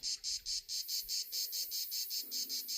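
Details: Insects sounding outdoors while a person paints: a steady high-pitched chirping pulse repeated about five times per second, each burst even and shrill, with a faint low murmur underneath.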